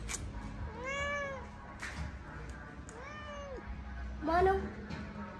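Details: Domestic Indian street cat (Billi) meowing three times, each call a smooth arching wail about half a second long, roughly two seconds apart; a low steady hum and faint voices sit underneath.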